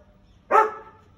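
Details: A single loud bark from an American Akita in Gurgaon, a short harsh burst with a sharp onset that fades quickly, over a quiet background.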